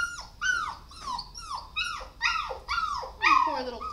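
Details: Dog whimpering in a steady series of about seven short, high, downward-falling yelps, each roughly half a second apart, loud and clear over a quiet background.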